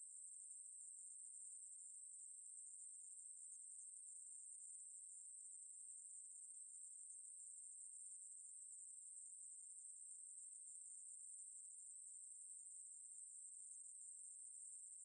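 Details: Long unbroken song of a Ruspolia katydid, National Institute of Biological Resources, 2020; a piercing, even, high-pitched electric-sounding buzz that never varies in pitch or volume, with nothing else audible.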